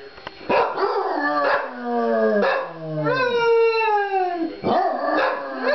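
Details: Two dogs, Murphy and Henry, sing along together in a duet of overlapping howls, one gliding low and falling, the other higher with rising and wavering notes, broken by short yips.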